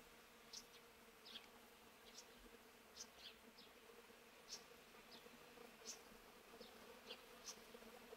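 A honey bee's steady, low droning buzz hums throughout, with faint high chirps ticking above it.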